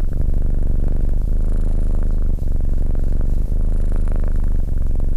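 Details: Abyssinian cat named SimbAs sitting calmly beside a person, purring in a steady low rumble with fine rapid pulsing throughout, barely a break in the flow.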